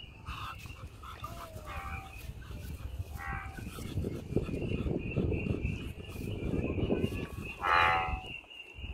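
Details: American bullfrog calling out in nature: low, deep rumbling calls fill the middle seconds over a steady high continuous whine, with short higher-pitched calls early on and a louder harsh burst near the end.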